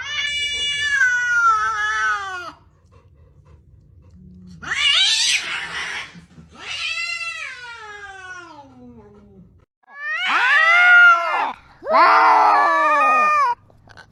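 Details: Domestic cat meowing and screaming to express emotions, live sound: long, drawn-out, wavering yowls that slide down in pitch, then two loud, strained, rising-and-falling screams near the end, with quiet gaps between calls.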